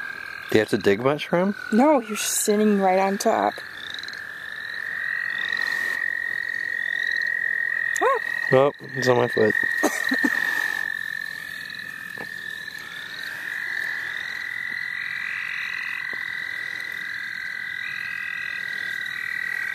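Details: Chorus of frogs in the St. Olaf College Natural Lands during a frog-catching outing: continuous high, even trilling from many callers, with layered trills above, broken by stretches of human talk early on and again midway.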